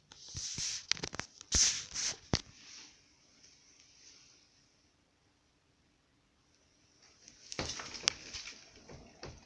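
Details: Kubuś, a pet hamster, walking in a quiet ball-bearing Trixie wooden exercise wheel with a cork surface. Quick clusters of sharp, dry taps from his paws on the cork open the recording, then a near-silent lull, then more tapping bursts near the end.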